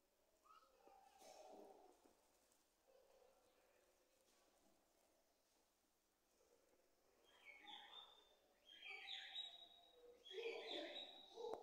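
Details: A captive rock hyrax (Procavia capensis) at Africa Alive zoo near Lowestoft, East Anglia, behaving naughtily, gives high, squeaky chirps and squeals that grow louder and more frequent toward the end.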